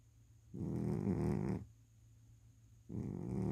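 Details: A domestic cat snoring indoors: a rough, low, rasping breath lasting about a second, then a quiet pause, then the next snore starting, over a faint steady hum.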